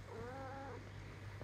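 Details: Cuddle-seeking house cat at night gives one faint, soft, level meow lasting about half a second over a constant low electrical hum.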